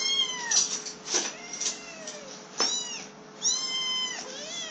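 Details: Hungry black kittens about three weeks old, one female and one male, call insistently: a run of piercing, bowed meows, several stacked together, with one long wavering cry toward the end and steady faint room hiss beneath.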